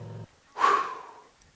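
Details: A dominant lioness (Panthera leo) on open grassland at Chitabe, Okavango Delta, Botswana, gets up to hunt and gives a single soft, breathy low call to summon the rest of her pride to follow.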